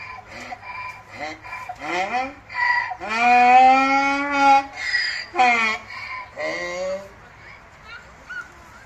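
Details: A donkey braying in a park in Haarlem, the Netherlands: a loud see-sawing bray of harsh, honking notes that swing up and down and build to a long drawn-out peak before fading, with a faint low hum behind.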